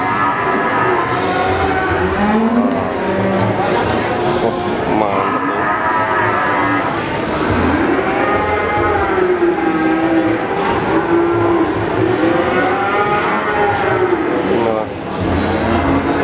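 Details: Repeated bellowing from cattle for sale at Pasar Sapi Pon, Ambarawa, Semarang, shortly before 2021: overlapping rising-and-falling moos from several animals, set against continuous crowd talk and the clatter of a busy livestock market.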